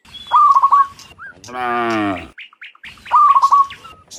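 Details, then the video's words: Dozens of cows walking from the fields back to the pen in the afternoon; a single deep, sustained moo sits between two bright trills of fast repeated bird chirps, with faint tweets around it. "Sound Dozens of Moo Cows Walking Home from the Fields to the Pen in the Afternoon, Sound of Cows"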